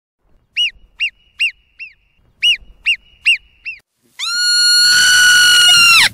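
A marmot gives sharp, arched whistles in two bursts of four, then one long, steady whistle.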